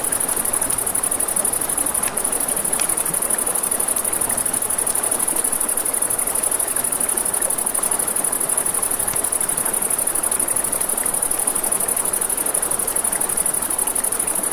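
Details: Nighttime riverside crickets keep up a steady, shrill pulsing trill without pause, backed by rushing river noise and occasional sharp pops from a campfire.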